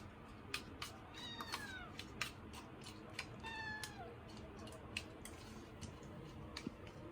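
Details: Male Scottish Fold kitten, born 24 December, following its owner around at home: two soft, drawn-out meows with falling pitch, plus scattered clicks and taps against quiet household background hiss.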